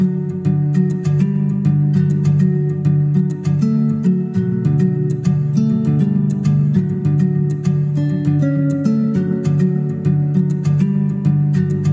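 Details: Gentle plucked acoustic guitar music plays throughout, loud and steady.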